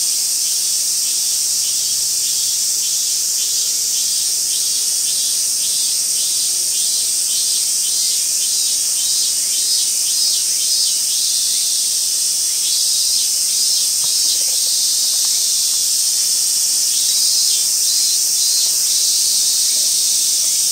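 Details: Robust cicada (Hyalessa maculaticollis) song from Gaikotsu-yama, Japan, 28 August 2021: rapid, evenly repeated high buzzy pulses, about two per second, running over a dense continuous insect drone.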